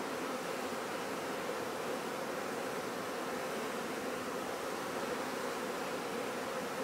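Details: Honey bees at a commercial bee farm among flowering mustard fields: a dense, continuous hum from many bees, an even droning buzz with no pauses and a faint breathy hiss over it.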